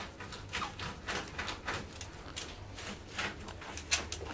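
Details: A female Pug puppy snuffles and snorts in quick, breathy bursts, several each second.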